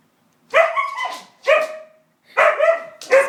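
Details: Pet white husky objecting to the hoover, a quick run of four ringing barks about a second apart, each with a tonal whine-like edge.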